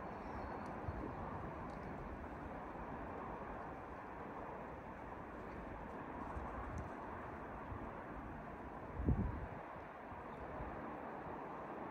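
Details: Steady broadband outdoor rumble, like distant traffic or wind, with a brief low thump near nine seconds; no clear animal voice is heard.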